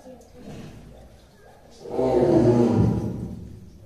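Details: Caged tigers at Tobe Zoo, Ehime Prefecture, Japan, early December 2023, growling while pacing. Low background rumble gives way to a loud, rough growl burst lasting about a second, then fading.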